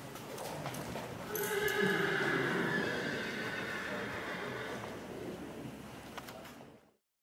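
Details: Colt foal by Dinken out of a Hirtentanz–Contender line, giving a long whinny of about four seconds, a steady harmonic tone that swells then slowly fades, with faint knocks and clatter in the background.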